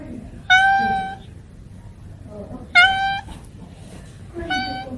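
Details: Cats and kittens meowing: three steady, drawn-out harmonic meows spaced about two seconds apart, each level in pitch, over a quiet, low room hum.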